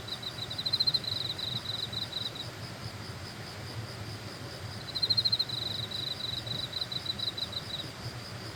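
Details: On Suraksan mountain, Korea, grass insects repeat a thin, high, pulsing chirr in two bursts of roughly two to three seconds each. A quiet pause of about two seconds separates the bursts. A faint low rumble continues throughout.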